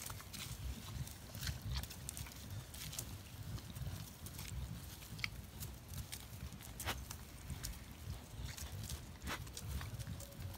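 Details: A collared peccary (Pecari tajacu, caititu) gives low, rough grunts with sharp clicks scattered throughout.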